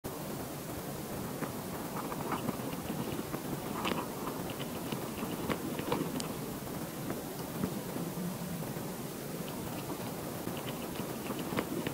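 Steady hissing, rustling noise with scattered soft clicks and taps, and no animal voice to be heard.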